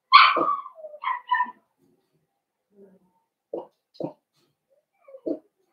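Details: Indoors in a puppy pen, a litter of five young blenheim Cavalier King Charles Spaniels born at New Year gives a loud high whine followed by short squeaks and several brief, quiet whimpers spaced apart.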